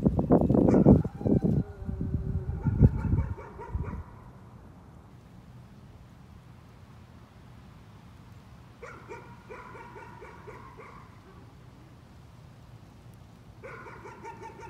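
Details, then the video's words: Dog barking as a nuisance, heard as two later bursts of quick repeated barks after a loud low rumbling noise fills the opening four seconds, then a quieter pause. "Nuisance barking again."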